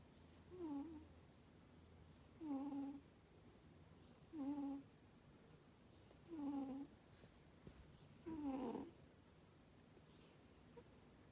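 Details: British Shorthair cat named Tsui-chan, a female house cat, snoring while asleep: five short nasal, tonal snores spaced about two seconds apart, with a soft airy hiss between them in a quiet room.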